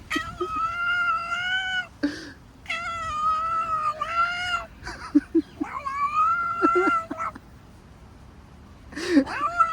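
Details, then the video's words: Female cat vocalising while her back is scratched with a back scratcher: long, strongly harmonic meows about two seconds each, held steady then sliding, separated by short pauses, with a few brief clicks and a final rising chirp. "Cat making weird noises when you scratch her back"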